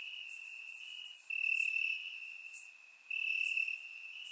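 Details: Crickets calling at night in grass, Bulgaria, warm summer: one sustained high trill growing louder twice in a few seconds, with faint higher buzzing insects in the background.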